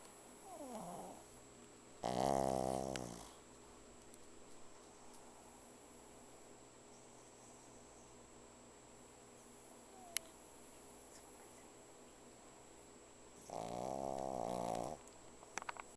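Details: Pug called 香草 (Vanilla), asleep and snoring very loudly: two harsh, rasping harmonic snores, each about a second long, separated by roughly eleven seconds of quiet room tone, with a soft snuffle near the start.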